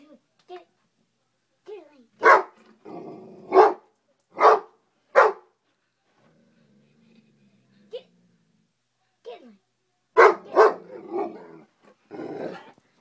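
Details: An 11-month-old Great Dane mix indoors, barking at a bug while guarding the household: deep, loud single barks in short bursts, two pairs near the start and a quick double later, with people talking between them.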